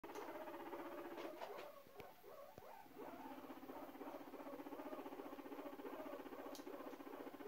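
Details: A guinea pig wiggling its rear while courting gives a low, steady rumbling purr with a fast, pulsing buzz.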